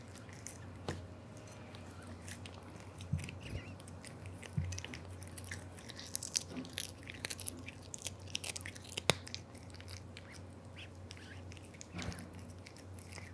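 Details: Aura, a male Devon Rex cat born July 2021, eats a big unseasoned dry fish indoors; sharp crunchy bites and chewing clicks come in irregular bursts over a steady low hum.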